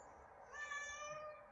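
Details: Pet cat enjoying the breeze from a fan gives a drawn-out, slightly falling meow lasting about a second, starting midway through, over steady fan hum.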